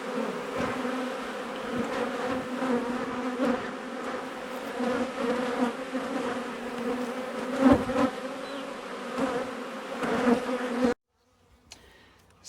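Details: Honey bees from a colony living in a wall, stirred up during a cutout: sustained buzzing hum with irregular taps and knocks, ending abruptly in near silence.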